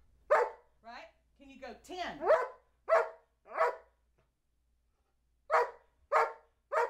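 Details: Counting aloud, Old English Sheepdog Charlie B., aged two, gives a sharp bark, then a person speaks the count, followed by two quick barks, a silent gap, and three more barks in steady succession.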